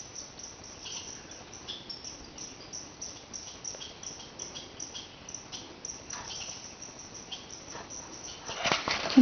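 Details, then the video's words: Wild red squirrels chattering to raise the alarm when an animal enters their territory, with deer nearby. Faint, rapid dry ticking pulses repeat steadily across the woods, partly masked by background hiss, ending in a louder rustling burst. "Red squirrel 3 Chattering"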